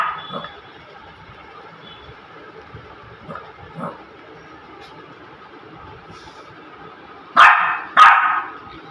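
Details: A male Shih Tzu puppy gives two sharp, loud barks after a few softer yips and huffs while playing.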